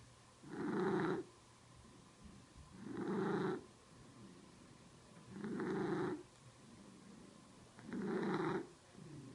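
A domestic cat purring with an odd raspy, wheezy tone on each breath.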